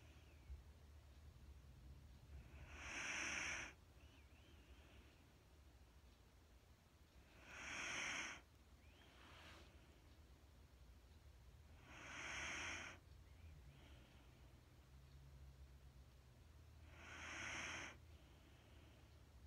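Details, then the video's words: Mattie, a Wheaten Terrier, asleep and breathing slowly and hypnotically: four soft, airy hissing breaths, each about a second long, arriving roughly every four to five seconds over a quiet low hum. "Wheaten Terrier sleep sound machine"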